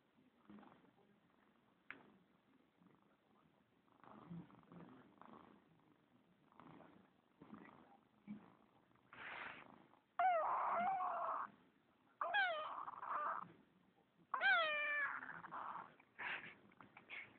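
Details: Pet kitten replying to its owner, later falling asleep: soft purring and murmured speech, then three loud, wavering harmonic meows about two seconds apart, each with bending overtones.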